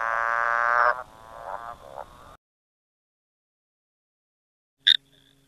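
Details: A frog at Windfall Wine Estate gives a loud, nasal, buzzy croak followed by a few shorter pulsed notes.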